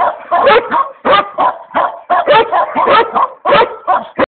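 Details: Boci, a Komondor, giving quick clustered barks, runs of two or three harsh yaps broken by brief gaps near the middle and end of the stretch.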